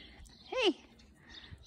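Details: A cat named Sally, met in the Swiss Alps in 2021 and coaxed not to fear a car, gives one short arched meow. The harmonic-rich tone rises, then falls, over a quiet outdoor background.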